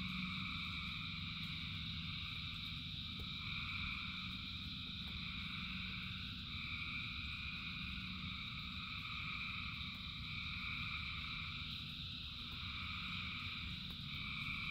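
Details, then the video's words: Thousands of frogs singing in the rain form an unbroken pulsing chorus, with higher trilling voices swelling and fading every few seconds above constant low-pitched rain noise. "Frogs in Rain 2 Hours of Frogs, Thousands of Frogs Singing"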